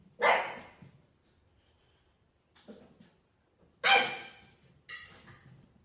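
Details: French Bulldog puppies yapping in a small room: two loud, harsh barks about three seconds apart, with quieter grunting yips and a squeaky, whiny yelp at the end.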